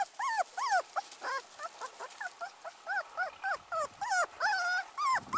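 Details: Teacup Pomeranian puppy, abandoned, whimpering without pause: thin, high-pitched, arching whines, each under half a second, come in quick irregular succession, some paired, a few drawn out, over faint background noise.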